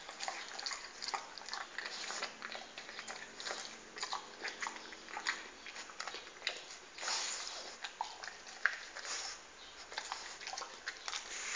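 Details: A pet dog eating an apple, with crunchy, irregular biting and chewing sounds repeated throughout in a small indoor room.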